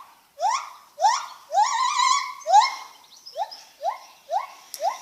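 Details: Lar gibbon calling with loud, rapidly rising whoops, several stretched into longer wavering notes, then a quicker run of shorter upward-sweeping hoots about every half second.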